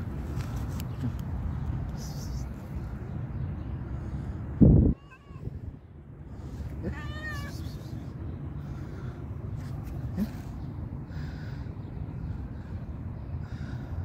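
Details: A stray cat gives two short, rising-and-falling harmonic meows about two seconds apart, after a sudden loud thump, over a steady low rumble of outdoor background noise.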